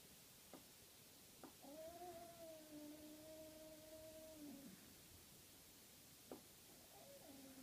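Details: Norwegian Forest cat playing with a 13-week-old Ragdoll kitten indoors: one long, steady, moaning cry held for about three seconds at an even pitch, framed by a few sharp knocks, with a softer cry starting near the end.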